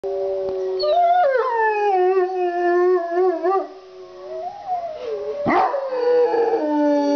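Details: A Rottweiler and a Pomeranian howl together in response to wolf howls played on a computer, the Rottweiler deep and steady, the Pomeranian a thin, screechy wail sliding up and down.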